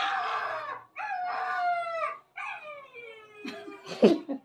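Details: Samoyed husky giving long, drawn-out howling cries: three sustained tonal wails, each sliding slowly downward, followed by a few shorter rough yelps and a thump.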